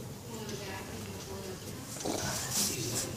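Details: Beagle groaning with pleasure while getting a massage indoors: low, drawn-out moaning tones with stacked harmonics that waver and slide across about three seconds, over soft rubbing and handling noise.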